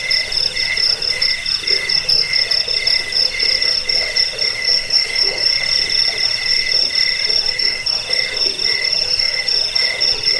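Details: Crickets in a recording meant to drive off rats, lull listeners to sleep and tutor caged birds; continuous high, rapidly pulsed trilling, layered chirps overlapping in a constant ringing chorus.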